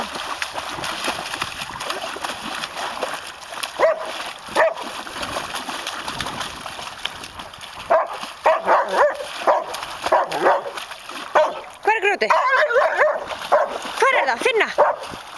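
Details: German Shepherd named Myrkvi, a pet, searching eagerly in a shallow pond for a small rock he dropped; splashing through water, then bursts of high, wavering whines and yelps that grow more frequent toward the end, with a man speaking Icelandic.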